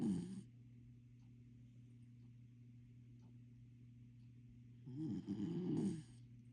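A corgi snores in its sleep with low, raspy, fluttering breaths, one brief at the start and a longer one near the end. A steady low hum runs underneath throughout.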